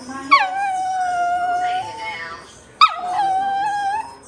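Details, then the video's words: Dog crying in two long whining wails, each starting with a sharp high onset, sliding down and then held steady for about a second and a half, separated by a brief pause. "Never seen a dog crying before"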